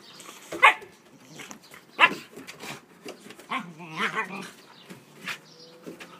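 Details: Playful Siberian Husky puppies, four-month-old Bella and eight-month-old Hunter, who lets her teethe on his thick coat. Two loud, sharp yips about a second apart, then warbling growl-moans and smaller yaps fading out.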